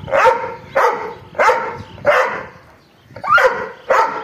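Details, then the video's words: Angry dog barking in sharp, harsh bursts, six barks spaced roughly half a second to a second apart with a short pause in the middle. "angry dog barking"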